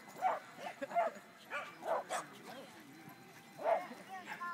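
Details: Buster, a corgi at a San Diego corgi meet, gives short, sharp yips and barks in quick bursts while playing with a female, with people talking nearby.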